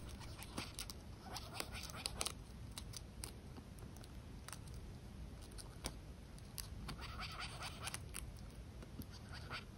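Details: An enraged large giant harvester ant (Messor arenarius), attacking a water feeder whose smell changed, gripping its edge with its mandibles and moving its abdomen, stridulates in faint, rapid scratchy clicks, an alarm signal for nest defence.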